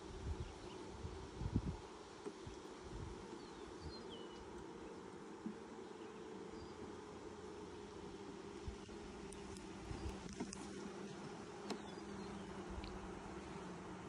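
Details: Six days after nucs were installed, honey bees drone throughout the first hive inspection of 2020; an unbroken mid-low hum, with scattered thumps and rustling as boxes and frames are moved.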